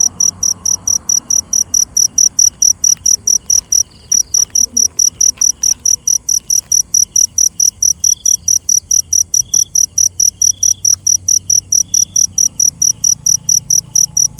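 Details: Cricket at night giving a steady, high-pitched chirp, about three bright pulses each second without pause, with a fainter thin note repeating underneath; a few soft clicks and a low background hum.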